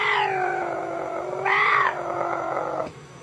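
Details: A male caracal gives a long, tonal, cat-like wail that swells louder and higher midway before cutting off.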